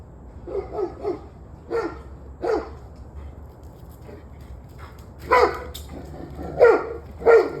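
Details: Dog on the evening of 21 November 2023, 7:06 pm, opening with a rapid triplet of barks, then spaced single barks, ending with louder, harsher barks in quick succession.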